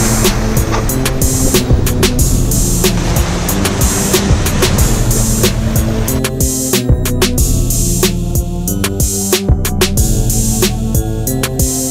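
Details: Rhythmic music with a steady beat and a little surf noise, and no animal voice.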